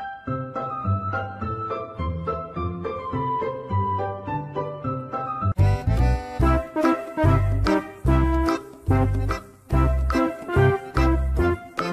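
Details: Playful instrumental music with plucked tones that shifts halfway into a fuller, bouncy tune, and no animal sound is heard.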